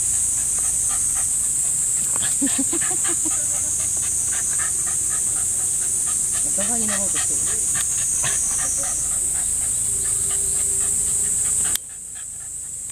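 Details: Male Shiba Inu dogs playing together at a dog run; brief whiny, wavering yelps rise and fall twice amid rapid scuffling, panting-like pulses, with a steady high-pitched hiss running underneath.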